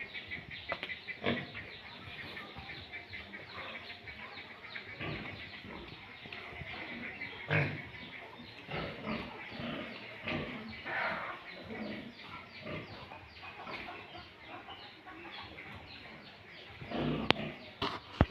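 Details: Pure Landrace and Duroc breeding pigs on a farm: short, rough grunting and snuffling bursts recur irregularly throughout, over a steady high hum and scattered sharp clicks and knocks from the pen, with a louder clatter near the end.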